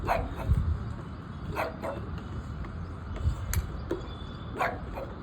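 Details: Labrador Retriever named Cookie, a pet dog in Ahmedabad, gives a few short, sharp barks spaced over five seconds, with a constant low rumble of traffic and a woman talking to the dog.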